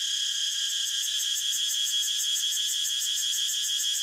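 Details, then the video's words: High, dense cicada drone throbbing with fast, regular pulses several times per second, steady in loudness throughout, with no other animals or background noises. "Cicada sound so natural"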